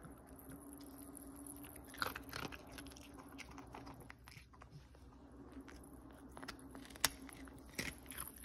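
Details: Close-up eating sounds from Cookie the Pomeranian: steady soft chewing with a faint low hum, broken by a few loud crisp bites around the middle and near the end, indoors.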